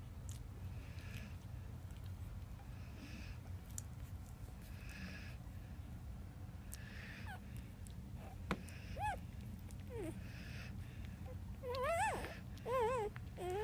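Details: Ten Boxer, American Bulldog and Labrador puppies. After a long quiet stretch of low background noise, wavering squeaky whines come in the last few seconds, some bending up and down in pitch.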